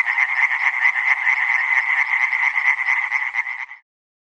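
Tree frogs calling in a dense chorus of rapid, rattling, nasal pulses that blend into a steady din.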